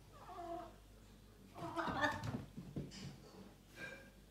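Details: A male Maine Coon cat gives warbling, gobbling calls that sound oddly like a turkey, something he usually does when excited or a bit confused.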